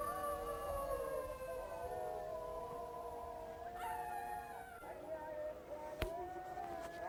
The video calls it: Çakal sesi - jackal sound